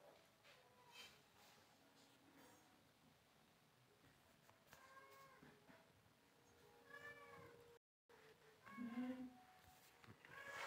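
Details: Pet cat meowing as it wants to sleep; several harmonic, arching meows around 7 and 9 seconds, faint and spaced, over a quiet indoor background with low murmur.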